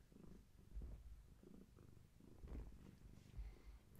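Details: Bedtime purring by Gaia, a long-haired tabby carrying many kittens and close to birth; soft low rumble rising and falling with breathing, punctuated by a few faint thumps and rustles.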